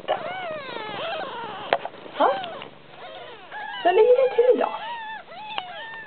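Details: Siamese kitten Titan sucking on its mother's paw instead of nursing while the other kittens nurse: a series of thin, high, arching mews, several rising then falling, with a person speaking Swedish in between.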